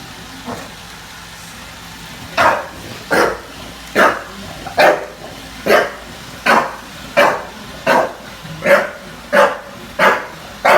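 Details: Junior the bulldog barks at a Roomba in NYC. After a quiet start comes a quickening series of loud, clipped barks, roughly one every 0.7 seconds, over a faint hum.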